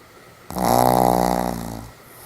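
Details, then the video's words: Pomeranian named Sam, sleeping soundly indoors, gives one loud, rough, buzzing snore about a second and a half long, strongest at the start and then fading, with a quiet room behind it. "ポメラニアン サムちゃんのいびき 爆睡中目を覚まして起きるまで"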